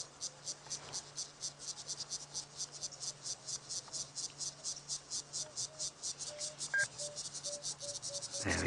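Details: Cricket, possibly with cicadas, gives high, shimmering trills pulsing steadily several per second during an afternoon safari drive on 29 October 2016, near lions resting in shade; oxpeckers are also noted. A low engine hum runs beneath, with a brief burst of noise at the end.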